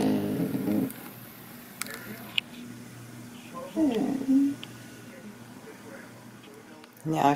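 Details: Young blue merle Border Collie Zoey pleads for a petting indoors, giving a short whine that rises and then falls, between stretches of a man's voice and low room hum.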